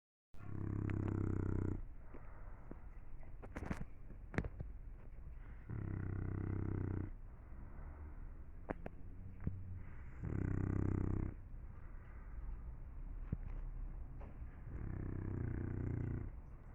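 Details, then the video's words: English Bulldog snoring: four long, rough, buzzing inhalation snores, each about a second and a half, coming roughly every four and a half seconds. Quieter breathing and faint clicks fill the gaps. "Bulldog inglés roncando"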